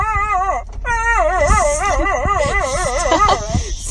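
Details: A dog gives a long, wavering, whining howl. The pitch wobbles quickly up and down for about three and a half seconds over soft low thumps.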